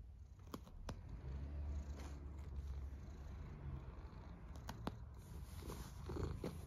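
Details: Snoring cat giving a deep, even rumble that swells slightly in the middle and again near the end, broken by occasional light clicks and small rustling noises.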